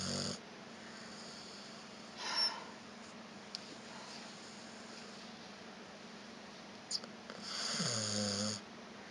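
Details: Vita, a pet dog, snoring indoors after a walk while another dog, Evchik, licks its paws nearby; two breathy, rasping snores about five seconds apart over a steady low room hum.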